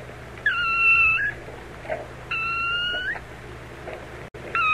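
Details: Playful kittens frolicking on farm grass with dogs, rabbits, cows and mice: three clear, high, flat meows of under a second each, spaced about a second apart, over a faint low hum.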